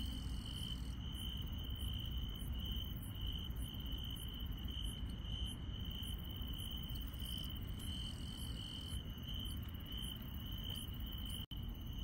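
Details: Grass insects singing on a rural night, a constant high trill layered with rhythmic higher chirps repeating roughly every half second, a brief dropout near the end, and continuous low-pitched background rumble.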